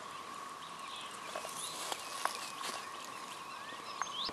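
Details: Emerging 13-year red-eyed periodical cicadas, present in huge numbers near Lake Francis Road in Dalton, Georgia, fill the air with a steady, droning chorus at one even pitch.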